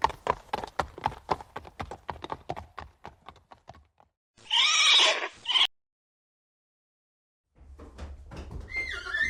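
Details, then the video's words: Horse neighing: a quick run of clopping hoofbeats gives way to a loud, harsh whinny with a rising shape lasting over a second, then silence and the start of a second, higher call at the end. "Жылқының дауысы / Звуки лошади / ржание коня / голос лошади / Horse sounds"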